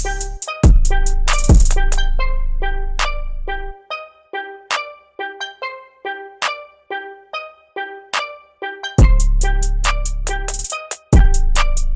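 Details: Only upbeat steelpan and drum music plays, with bright repeated notes and a steady beat; no animal calls.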